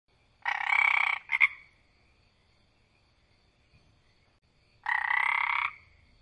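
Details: A frog filmed close up gives harsh, rasping croaks: a long burst of almost a second, then a short double rasp. After a quiet gap of about three seconds, another long rasp follows. The background is otherwise silent.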